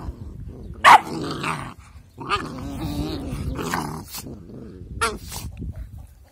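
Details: Two puppies play together, angrily but in fun: rough, throaty growls rumble in bursts, broken by a sharp bark-like yap near the first second and short harsh snarls later, with pauses between the scuffles.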